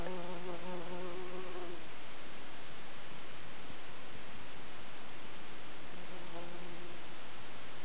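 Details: Bumblebee working in the middle of a Midsummer night on the sparse, flower-poor Tammela upland in the Kivijärvi wilderness, Finland; a low droning buzz with steady harmonics for about two seconds, fading, then returning briefly, over constant broadband hiss.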